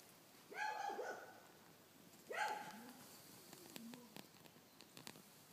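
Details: A baby koala with its mother gives two high, squeaky, wavering cries, each about half a second, with a short pause between.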